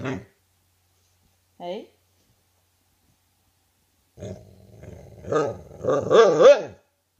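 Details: Husky wanting a taste of its owner's vegetables, indoors: after two short yelps, a drawn-out, wavering, talkative moan rises and falls several times, growing louder toward the end.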